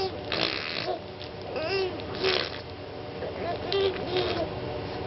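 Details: Keely, a pet dog, playing indoors with her new toy elephant and making funny noises: snorting, breathy grunts mixed with short, thin whining squeaks, about five bursts in quick irregular succession, with room noise behind.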